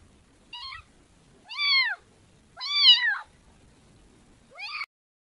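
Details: Four high meows from a kitten, the middle two loud and drawn out with a rise and fall, the last one short and sharply rising, over a quiet, nearly silent background.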